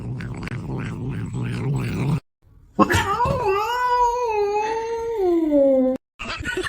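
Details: Cat giving one long, drawn-out yowl indoors. The tone wavers upward and then slides slowly down over about three seconds. Muffled voices or music come before it, and more noise follows after a short gap.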